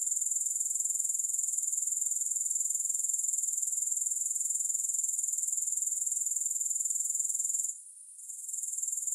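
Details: Grasshopper sound recorded without music, a sustained high, sizzling trill with rapid regular pulsing that drops out and fades for a moment near the end, then returns.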